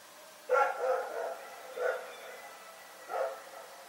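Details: At Pyrga by night, the dog Rex gives three loud barks, the first a doubled yap, spaced roughly one to one and a half seconds apart, echoing faintly.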